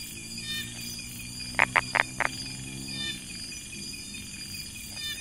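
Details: Brown tree frog in a rice field near Chiang Mai, Thailand, giving a short run of four sharp clicking notes, with a steady chorus of insects whining high above throughout.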